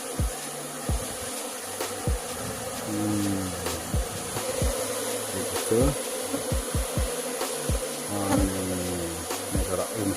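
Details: Honey bees buzz in a low, droning hum that rises and falls in pitch as they fly past. Sharp clicks and taps sound throughout.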